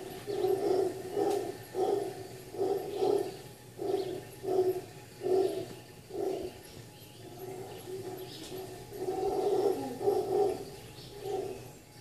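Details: Howler monkeys at daybreak at The Sanctuary, Cabuya, Costa Rica: a steady train of low, coarse grunting barks roughly once a second, building to a louder rolling roar near the end, soft bird calls behind.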